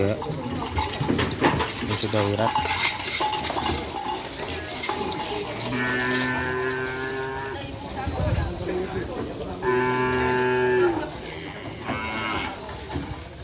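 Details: Cattle at a bull race, where teams bring pairs of bulls; two long, drawn-out lowing moos rise over a noisy crowd, with music, voices and bell-like clatter throughout.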